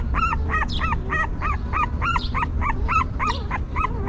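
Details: Quick-fire whimpering from newborn puppies being nursed and cleaned by their stray mother, short hooked squeals repeated about four times a second, steady and insistent, above a faint low rumble.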